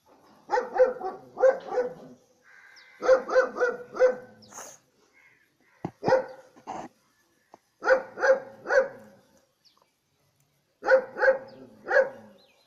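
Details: Dog giving loud, clear barks in clusters of two to four, each volley separated by a second or more of quiet, the barks evenly spaced and ringing within each group.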